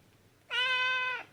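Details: Orange tabby cat, a rescued indoor house cat, giving one loud, steady, drawn-out meow lasting under a second with rich harmonics, calling its owner to play; quiet room behind.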